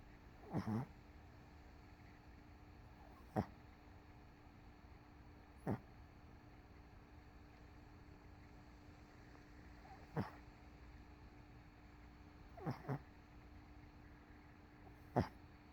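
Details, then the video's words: MoMo, a dog crashed asleep on a couch after a rough day with CoCo sleeping nearby, gives short, soft snorting snores at irregular gaps of about two to five seconds over a quiet indoor hum. "Dog Snoring"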